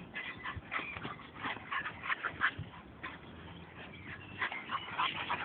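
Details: Young dogs at play: Nico, American Pit Bull Terrier aged 10 months, and Sergio, Staffordshire aged 8 months; rapid irregular run of whiny yips and growls, about three per second, with scuffling throughout.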